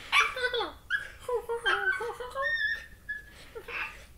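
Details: Playing corgi puppy giving funny noises that sound like a cross between a turkey and a chimpanzee: quick, squeaky whimpers and yips with falling, wavering tones in a short burst, indoors in a small room.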